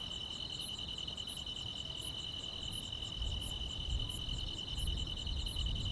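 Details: Grass insects chirring on a peaceful summer night in the countryside, a constant shrill trill plus regular high pulses, with heavier low rumbling noise underneath.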